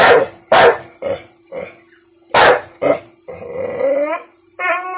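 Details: Bentley the American Bully, one year old and annoyed at being teased with a pink umbrella, fires off rapid barks that fade into softer ones, then a wavering whining growl and a final yelp, with steady hum behind.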